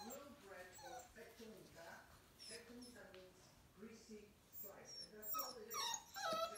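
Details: Blue Lad, a male Kerry Blue Terrier puppy aged seven weeks, lets out short, high-pitched whines and yips in scattered bursts, with human voices running underneath throughout.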